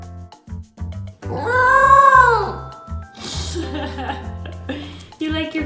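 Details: Willo, a female corgi puppy, howls near the end of her meal, head thrown back, as a happy thank-you. The howl is short and rises and falls, heard over background music and speech.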